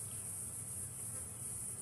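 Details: Very active cicadas on a hot, humid January afternoon in the shade of a safari bush setting with barely any breeze keep up a steady, high, hissing drone without a break.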